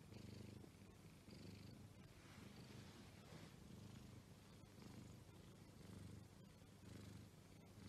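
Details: Exotic Shorthair cat purring: a soft, low, continuous rumble that pulses roughly once a second, steady throughout in a quiet room.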